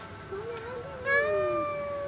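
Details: A cat named Cemong, with some missing teeth, back after a long absence and offered food, gives a drawn-out meow that rises and falls, then a steadier, brighter meow overlapping it, with a person talking nearby.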